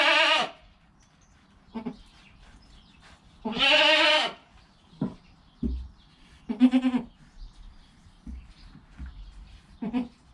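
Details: Goat kid bleating in the first hour after birth, mother close by: loud quavering cries at the start, around four seconds and near seven seconds, with softer shorter calls and clicks between.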